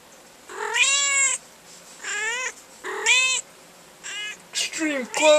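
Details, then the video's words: A female cat lying in a drawer of black umbrella nylon meows repeatedly, three drawn-out rising-falling meows about a second apart, then shorter, broken calls as a person exclaims in surprise. "Rhoda the Vocal Cat"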